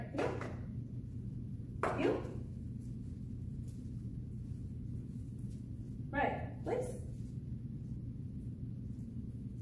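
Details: Riot, a 5-month-old Jack Russell Terrier in obedience training at an Atlanta, Georgia dog boot camp, gives short, sharp barks: two spaced apart, then a quick pair close together, over a steady low hum.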